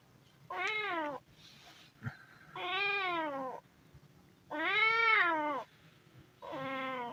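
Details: Hungry kitten meowing: four harmonic-rich meows, each rising then falling in pitch, roughly two seconds apart, with quiet pauses and a faint low hum between them.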